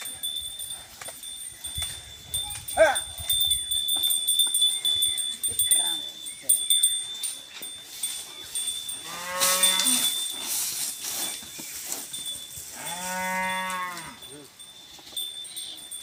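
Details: Khillar cattle, bullocks working a field being ploughed in Maharashtra: two harmonic moos, a short one midway and a longer level one near the end, over a steady high electronic tone, clatter and brief knocks.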